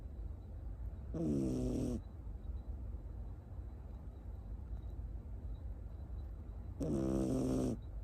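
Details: Sleeping peacefully on a lap, Tamago, a Miniature Schnauzer puppy born 9 October 2021 in Nago, Okinawa, living in Osaka, gives two loud, rasping snores about five seconds apart, each with buzzy stacked tones, over a faint steady hum.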